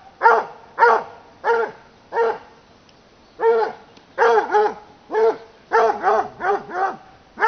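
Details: A Bluetick Coonhound bays in rich, arching bursts, repeated in quick succession while hunting wild boar in Sweden.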